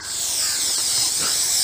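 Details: Russell's viper, very aggressive during a rescue in Ahmednagar, Maharashtra, India, gives a steady, forceful, breathy hiss lasting the whole short moment, bright and high-pitched with no pauses.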